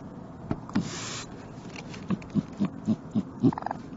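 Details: Raccoon (Procyon lotor), chattering.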